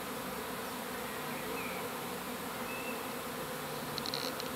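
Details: A travelling honey bee swarm makes an unbroken, thick droning buzz of countless bees, even and steady. A few faint higher whines pass through, and a brief cluster of high clicks sounds near the end.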